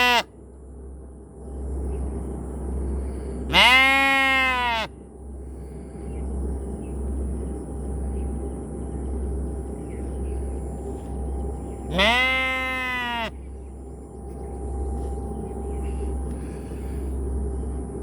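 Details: Two drawn-out sheep bleats roughly eight seconds apart, each a rich harmonic baa lasting over a second with a slight downward bend at the start, set against a steady low electrical hum.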